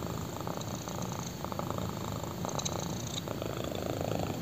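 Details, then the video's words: Black kitten on a human thigh purring steadily, a low buzzy rumble with quick rhythmic flutter and slight swells, plus a faint rustle midway. "BLACK KITTEN PURRS WHILE LYING ON MY THIGH!"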